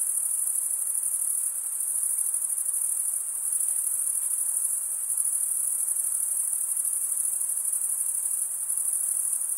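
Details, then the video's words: Crickets chirping by stridulation, wing scraped over toothed wing vein, give a seamless high-pitched buzzing trill that runs on evenly, with small momentary dips in loudness and faint background noise. "Most relaxing cricket sound"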